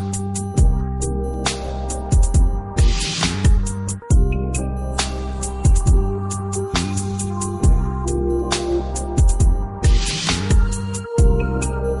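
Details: Instrumental music with plucked notes and a low bass line plays throughout, with no cattle or other animal calls audible.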